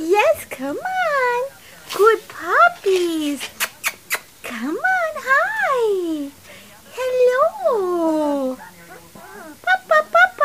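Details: Puppies at three weeks old giving long, swooping whines that climb and drop in pitch, several drawn-out cries trailing downward, with short sharp ticks between and a burst of quick squeaks at the end.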